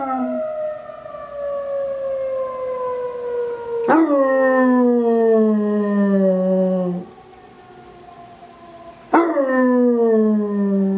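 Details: Basset puppy named Alvin howling along with a weekly emergency test siren; long sliding howls with rich harmonics, each starting high and falling slowly, two loud onsets about five seconds apart with a short quiet gap between them.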